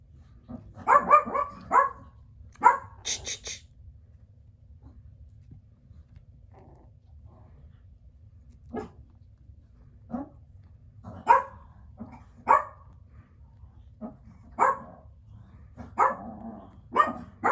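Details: Biewer terrier puppies giving bursts of shrill, clustered yaps, then a quieter pause with faint scattered sounds before sharp single barks resume at irregular intervals, a few coming close together near the end.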